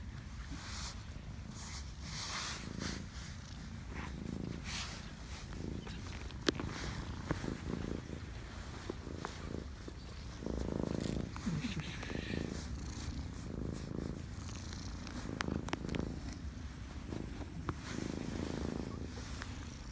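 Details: Several cats met by Lake Biwa, Japan, crowding around and climbing onto a person, with a low, rumbling purr running steadily throughout alongside soft rustling and handling noises.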